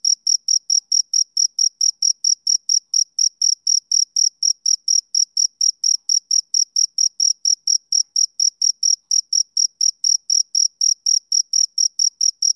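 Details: Male cricket chirping steadily, a high, clean chirp repeated about three to four times per second without pause, evenly spaced and unchanging in pitch, alone against a silent background.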